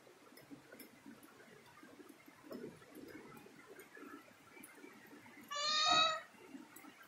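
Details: Cat climbing a ladder indoors lets out one loud, clear meow lasting well under a second near the end, after a stretch of low room noise and faint rustling.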